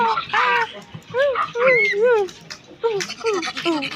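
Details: Silvery gibbon producing hooting arcs that swing up and down in pitch, some higher, thinner notes mixed in, delivered in uneven clusters with short gaps.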